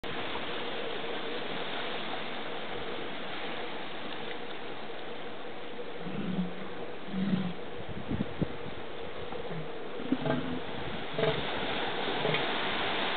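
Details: Two northern elephant seals square off in a brief battle on the beach at Año Nuevo State Reserve, California, giving low, guttural, throbbing pulsed bursts in short uneven runs over constant surf hiss.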